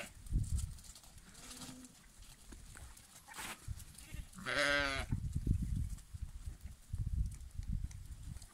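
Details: One clear, tremulous lamb bleat in the middle, preceded by a faint soft call, amid persistent low rumbling and thumping background noise.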